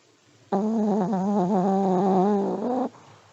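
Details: Old Pomeranian dog snoring in its sleep, a single drawn-out droning breath lasting over two seconds, its hum gently wobbling, set between quiet indoor pauses.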